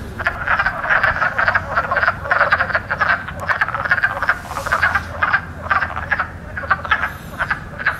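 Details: Wood frogs croaking in spring, when they are the loudest frogs, sacs near the lungs puffing up for power; dense stream of short, hoarse clucks from many callers, steady and overlapping throughout.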